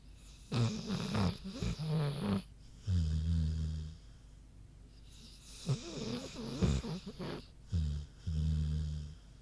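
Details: Queenie, a big pig, snoozing with loud low rumbling snores, each drawn-out breath grunting and rattling for one to two seconds, coming in bursts with short quiet pauses between.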